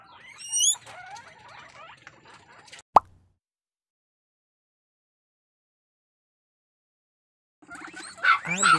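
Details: Guinea pigs kept at a caviary and rabbitry in Cabugao, Ilocos Sur, give a short burst of high, rising whistled squeals with bright overtones, then faint chatter, a sharp click, silence, and a final cluster of loud squeals.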